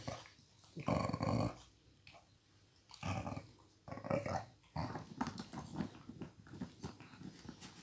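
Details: Flash, a one-year-old Miniature Pinscher, growls indoors while stealing a toy from Hanna, an almost 12-year-old Pitbull who can move only her neck and head. Rough, low growling bursts come near one, three and four seconds, then a steadier rumbling run.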